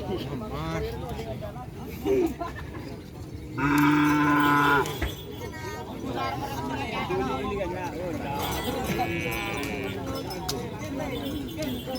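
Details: Small cattle at a gathering event in Indonesia, one loud drawn-out harmonic moo lasting about a second amid steady crowd chatter and background noise.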